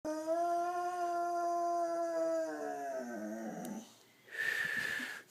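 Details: Pet Boxer dog howling indoors: a long, steady, harmonic howl holding level for about three seconds, then wavering and dropping as it fades, followed by a brief noisy burst.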